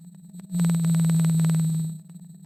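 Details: A blue whale recorded underwater in the northeastern Pacific in 1996 gives a low, steady moaning tone with a faint pulsing buzz, holding one pitch.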